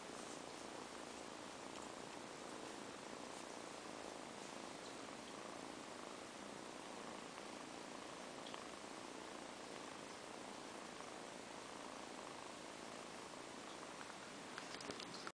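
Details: Quiet, continuous purring from a pair of kittens sleeping after extended play, steady throughout under a hissy background, with a brief rustle at the very end.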